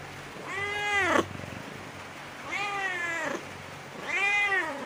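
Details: Cat meowing in a bamboo tree while looking for food and drink: three drawn-out, rising-then-falling harmonic meows, each about a second long, spaced roughly two seconds apart over a steady low background hum.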